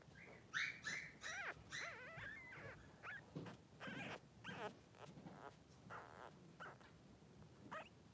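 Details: Pom-Pom's two Blenheim Cavalier King Charles Spaniel boys, newborn and three days old, make a run of short squeaks and brief bent whimpers, several per second early on, with soft rustling and shuffling in the pen.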